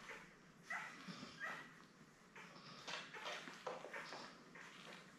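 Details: Indoors with mother Belle, a newborn Labrador litter of seven born May 24, 2021 gives faint high squeaks and whines in scattered short bursts. Low room noise runs underneath.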